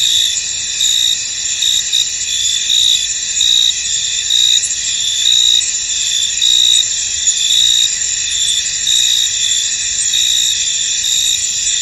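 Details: Misty-field crickets producing a thick, high buzzing trill that never stops, with short louder chirps popping out irregularly through the chorus.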